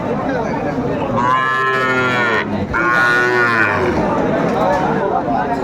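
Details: Sahiwal bull calf at a cattle market, bought by a farmer from Kurigram, 27 July 2024: two long, deep harmonic moos in quick succession, each lasting over a second, over steady background market crowd noise.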